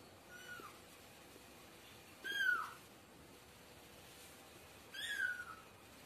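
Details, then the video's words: Domestic cat or kitten giving two soft, drawn-out meows that fall in pitch, about three seconds apart, against a faint steady hiss. "Cute Cat and lovely Kitten Voice"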